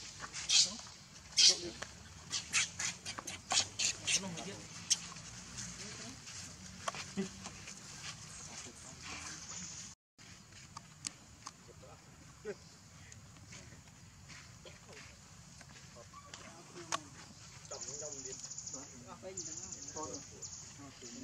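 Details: Tiny baby monkey crying: a run of shrill, piercing cries repeated about twice a second in the first four seconds, then softer wavering squeaks and whimpers over constant background hiss.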